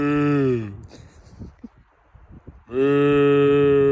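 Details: A cow gives two long, steady, low moos, one at the start and one at the end, each with a rich buzzy tone that drops slightly in pitch as it fades, separated by a quieter gap with faint rustling.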